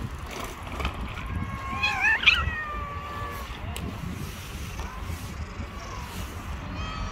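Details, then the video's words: Female cat harassing a bully male cat: a drawn-out, wavering, harmonic yowl swells near the middle, followed by fainter long drawn tones, over a steady low rumble of background noise. "Female cat has harassed a bully male cat"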